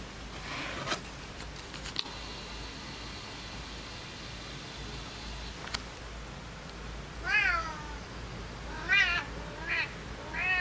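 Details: A Siamese cat in winter in the Netherlands gives several short, arched meows in quick succession after a quiet start with a few clicks.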